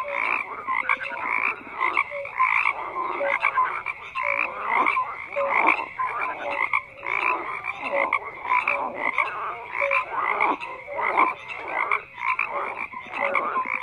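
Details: Many frogs croaking together in a dense chorus, overlapping rasping pulses with short tonal notes, energy between mid and high pitch, continuous without pauses.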